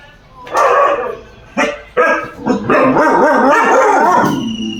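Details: Caravan Hound dog: two or three loud barks, then a long wavering harmonic vocalization that rises and falls, with a faint steady tone behind.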